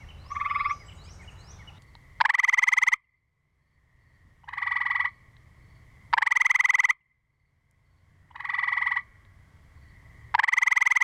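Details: Gray treefrogs recorded in 2010 sing loud, musical trills, each under a second long, repeated about every two seconds; the recording includes an aggression call.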